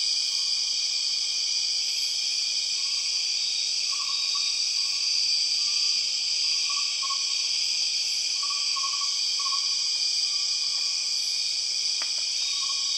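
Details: {'caption': 'Steady ringing drone of empress cicadas in Borneo rainforest, unchanging throughout. Scattered short, soft, lower tonal notes come and go beneath the buzz, and a single sharp click sounds near the end.'}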